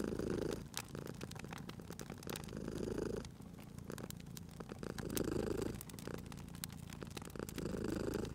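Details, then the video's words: Cozy spring fireside scene with a purring cat: a low, rolling purr pulses in long swells roughly every two and a half seconds, accompanied by steady crackling and popping from the fireplace. "Cute Purring Cat at a Crackling Fireplace"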